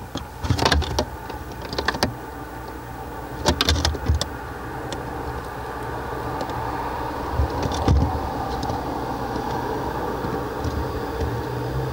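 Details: Steady low mechanical hum with a few sharp clicks and knocks, like handling or movement near the microphone; no animal voice is heard.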